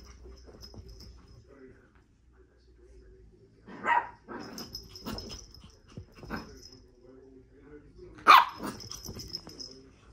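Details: Shih Tzu dog recorded in May 2023 during a wild afternoon indoors, giving a few short, sharp barks spaced several seconds apart, with a person talking in Spanish between them.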